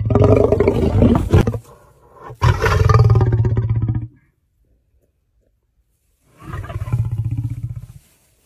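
A lion growls in deep, rumbling bursts, pausing between each drawn-out grumble.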